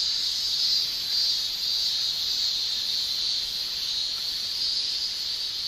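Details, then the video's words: Japanese summer chorus of male cicadas producing tymbal song, a continuous piercing high-pitched shrilling with faint pulsing rises and falls in intensity and no gaps throughout. "Japan Summer Cicada Shrilling"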